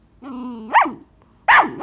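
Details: . A six-month-old mixed-breed puppy, possibly miniature pinscher, schnauzer, rat terrier or beagle, asks to play fetch. It gives a steady low whine, then two sharp rising-and-falling yelps in a room.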